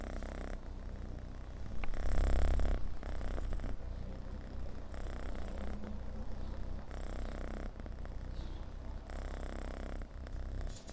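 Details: A rescued kitten that had been homeless purrs close up, its low throbbing rumble rising and falling with each breath in regular pulses, briefly louder near the two-second mark.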